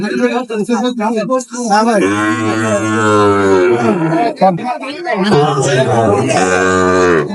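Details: Sahiwal bull calves at a cattle market in Comilla, Bangladesh, on 27 May 2025: a long, low, steady moo of about two seconds, then a second moo near the end, with men's voices haggling over prices throughout.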